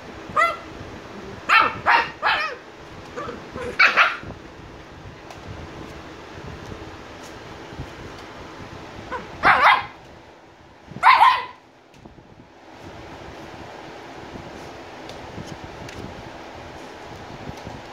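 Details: Angry Shiba Inu puppies, 85 days old, barking indoors: a quick run of sharp, bright barks in the first four seconds, then a pause and two more louder barks spaced a second apart, with low background rustling.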